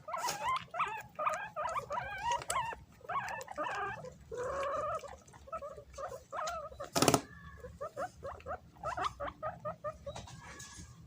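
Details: Several pet guinea pigs scramble and fight over bananas. Their high, harmonic squeaks come in rapid bursts, some rising and falling, with brief pauses and one sharp click near the middle.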